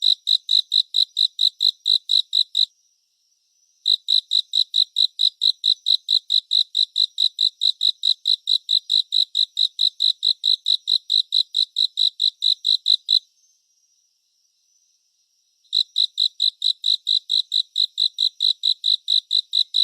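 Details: Cricket song presented as a relaxing surround-sound concert: long runs of bright, high chirps at just over two per second, interrupted by two silent pauses, the second lasting about two seconds, in an otherwise quiet background.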